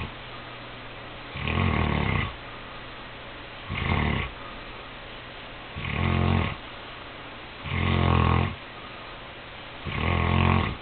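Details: On Christmas Eve night the sleeping Saint Bernard Cody snores five times, deep throaty rumbles spaced about two seconds apart, each swelling and fading, over a soft constant background hum.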